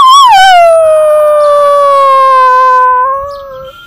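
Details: Pembroke Welsh Corgi female being taught to howl on command; one long sustained howl that rises briefly, slides down and holds steady with rich harmonics, then fades as she tails off.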